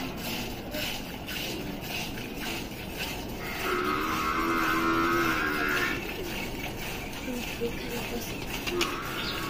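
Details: Gir cow during milking in Rajasthan. It gives one long, steady, harmonic moo lasting about two seconds in the middle, over constant rhythmic background noise.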